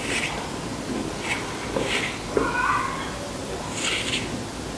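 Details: Captive adult male Archimandrita tesselata roach hissing after being disturbed, pushing air by contracting its abdomen: several brief airy bursts of hiss, each under half a second, separated by gaps, against constant room noise.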